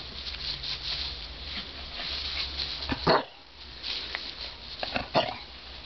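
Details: An Entlebucher Mountain Dog gives two short, sharp yelps about two seconds apart, over steady background hiss and faint rustling; the dam and her litter of puppies born 22 August 2010.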